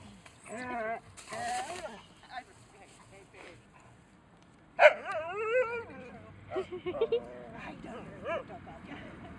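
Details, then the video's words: Nervous Alaskan Husky in a park, whining its whiney song: bursts of wavering, high, harmonic whines, then a sharp loud rising yelp that melts into quavering wails, while people chat close by. "Funny whiney Husky in the park"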